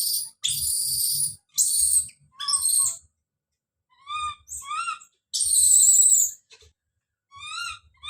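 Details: A baby monkey screams as it calls out: harsh, noisy shrieks alternate with shorter rising harmonic cries and thin chirps, with faint low bumps of movement in the background.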